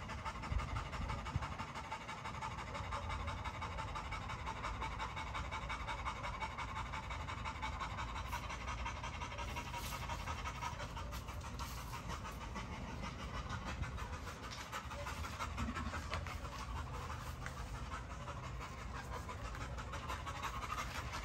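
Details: Great Dane breathing hard in a long run of fast, loosely regular pants, close to three per second, with low background hum throughout.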